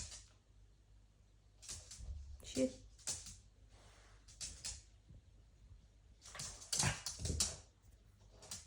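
A small Pekingese gives short, sharp yaps at irregular intervals, with a brief whimper among them.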